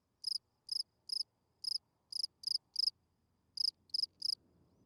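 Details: Night-singing field cricket giving its calling song to attract females; crisp high chirps arrive about twice a second in a run of six, then a short gap and three more, with faint low rumble at the end.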